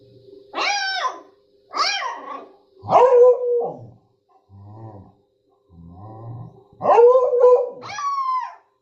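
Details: Dog giving loud, harmonic barks, two short sharp ones followed by longer, drawn-out howling barks, with quieter low grunts in between; indoor setting, no other sounds.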